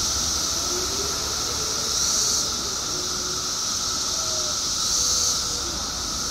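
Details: Mass chorus of periodical cicadas emerging in Illinois after 17 years underground: a continuous high-pitched shimmering whine over a lower steady hum, swelling louder twice, at about two and five seconds.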